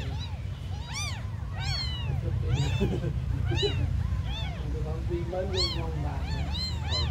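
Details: Thin, high meows from tiny abandoned kittens repeat every second or so, each rising then falling, while a low human voice murmurs midway under a steady deep hum.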